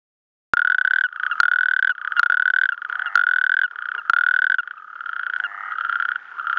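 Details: Natterjack toads singing in a mixed chorus with Mediterranean tree frogs at Clot d'Espolla, Pla de l'Estany, on 8 March 2013: loud, overlapping, sustained rattling trills, each under a second, running almost without pause, with sharp clicks at the starts.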